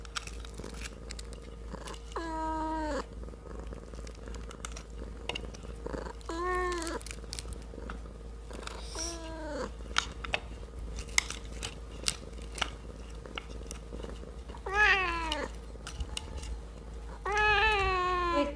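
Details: Kitten eating a fish head with rice, meowing five short, plaintive times between bouts of chewing and clicking, the last two higher and more insistent, over a quiet indoor background.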